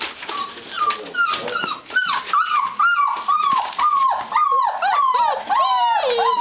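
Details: Gordon Setter whimpering indoors at the Natolińskie Wzgórza kennel: a nearly unbroken run of thin, nasal whines, each sliding up and then dropping, roughly two per second, with faint human voices underneath.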